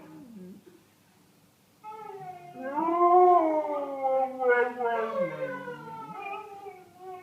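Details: After a soft whine and a brief pause, Wrigley the dog launches into a long, wobbling howl. The pitch rises, quavers and bends repeatedly over several seconds, ending in lower, drawn-out moaning notes.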